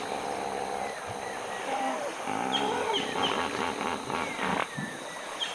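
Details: Hippopotamuses in Uganda waiting for nightfall to climb the banks and feed, adults noisily marking their position to avoid being trampled. Rapid series of deep, pulsed honking grunts building over several seconds, with chirping birds and insect hum behind.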